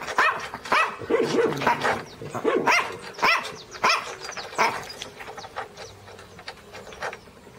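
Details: {'text': 'Teco the Pinscher barking angrily and loudly, sharp high barks in quick irregular bursts with short whining cries between them.'}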